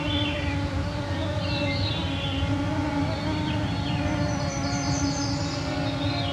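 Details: Mosquito clouds whine at 9pm on a summer evening in the Canadian Shield of northwestern Ontario, June 2024, recorded with a MixPre-3 II and Pluggy mics. The steady multi-toned hum fills the background while high, thin bird phrases chime above.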